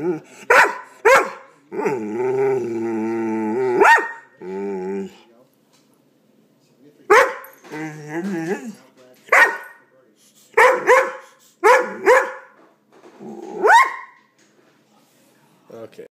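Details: A pet dog reacting to a hated air pump lets out bursts of short, sharp yips and barks. A two-second wobbling, droning growl-moan comes between them, with pauses of silence between outbursts.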